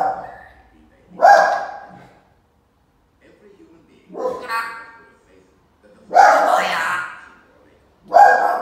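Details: A Jack Russell terrier gives four loud, sharp barks about two seconds apart while an African grey parrot tries to stop the barking, with talking-like voices mixed in between.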